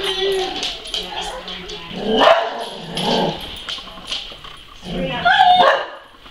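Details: Weimaraner dog whining and giving short barks because it wants to go outside, where neighbouring dogs are, so they can bark at each other through the fence. Wavering whimpers break into a few yips as a person repeatedly asks what it wants.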